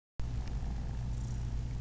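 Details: Momotaro, a male cat called Uncle Mo, purrs happily while letting kittens not his own nurse on him; a steady, deep, rumbling purr runs throughout with no breaks, close and indoors.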